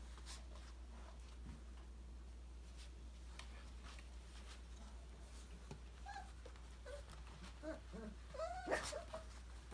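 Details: Australian Labradoodle puppies, five weeks old, from a December 2020 litter, at play in an enrichment playground; after quiet pattering, a run of thin rising whimpers and squeaky yips repeated about once a second, with toy clatter.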